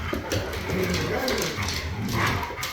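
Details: Low, rumbling growls and snarls from huskies play fighting among a group of three, steady and continuous with brief vocal bursts, a person's voice faint in the background.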